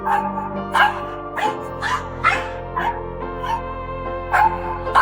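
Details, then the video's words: Newly rescued senior stray female dog, caged at home and in 'alarm' mode, barking non-stop at the household dog: sharp, insistent barks about two per second over steady background music. "Contre toute attente, le nouveau venu se mit immédiatement en mode « alarme », aboyant sans cesse sur le chien de la maison."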